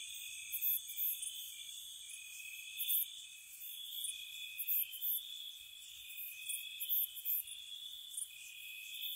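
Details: Crickets chirping at night in spring around a cottage: a steady, high, shimmering trill runs throughout, with brief brighter bursts recurring every second or two, and no other clear sounds.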